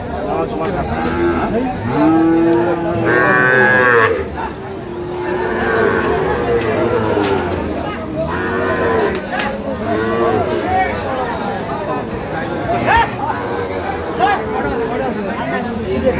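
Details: Cattle market in Tangail, Bangladesh, with Sahiwal bulls for sale, 9/5/25: loud, long bellowing moos come in waves every couple of seconds, some higher and strained, over a background of voices and market bustle.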